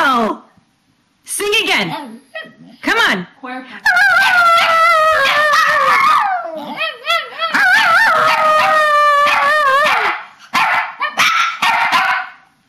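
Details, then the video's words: Papillons and a shih-tzu vocalizing during their bedtime ritual, March 2007: long wavering howl-like tones with rising and falling pitch, broken by short yips and barks, several dogs overlapping. "Talking dogs!"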